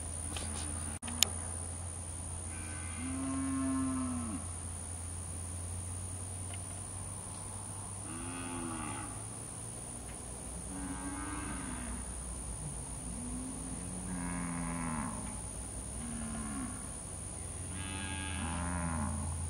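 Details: Brahman cattle herd being penned and worked on a ranch, gentle-tempered animals; repeated deep harmonic moos from several animals overlap across the recording, some rising then falling, over a constant low mechanical hum.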